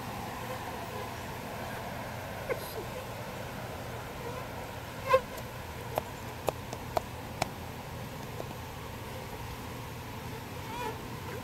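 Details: Soft, even buzzing of bees as they are moved from a birdhouse to a bee box. A series of light ticking clicks sounds midway through.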